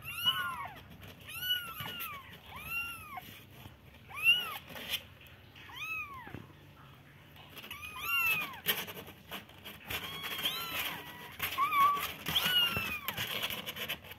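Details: Baby kittens meowing indoors: a run of high, arched mews repeated roughly every one to two seconds, several voices overlapping in the second half with faint background noise.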